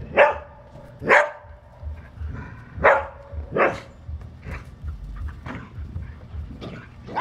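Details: Playing football, the Australian Shepherd Priya, blue-eyed, gives a series of abrupt barks, about seven in as many seconds, some louder and ringing, others softer, spaced irregularly.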